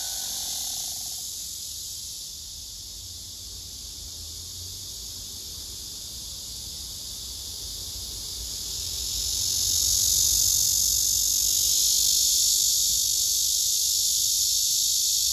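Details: Cicadas on a tree, a male singing with wings spread and abdomen raised among other cicadas, recorded by phone: a continuous shrill buzzing drone that dips slightly, then swells louder and brighter after ten seconds.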